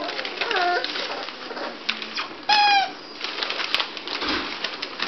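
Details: Five-week-old Bulldog puppies, active and chunky, indoors: a single high, squealing yelp with bright harmonics rises briefly above a busy background of scuffling and shuffling noises, with softer squeaks just before it.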